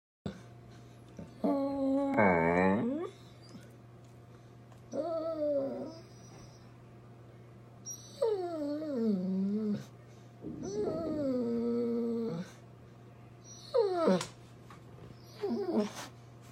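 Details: A basset hound sits up begging for food while its owner eats lunch, shaking its front paws, and gives a series of drawn-out, wavering whines and yowls that rise and fall, repeated every few seconds over a steady low indoor hum.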